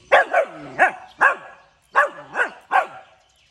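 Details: Puppy barking in the early morning, seven short, sharp yaps in quick uneven bursts, each with a brief falling tail, some paired close together, with a quiet background and no other clear sounds.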